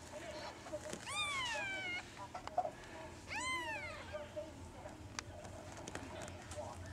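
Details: Kitten meowing, recorded 16 April 2013: two clear, drawn-out mews about two seconds apart, each sliding up and then down in pitch, with soft clicks and faint background rustle between them.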